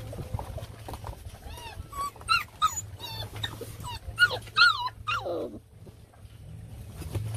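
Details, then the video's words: Belgian Malinois puppy at feeding time, giving short high whimpers and squeaky yelps that rise and fall, clustered in the middle seconds, over a steady low hum, with laughter nearby. "Puppy Feeding Time Malinois"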